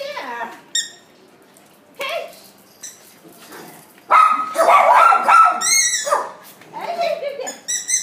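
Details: Schnauzer giving short, high, sharply harmonic yips and barks in scattered bursts, with people talking loudly in between and over the dog sounds.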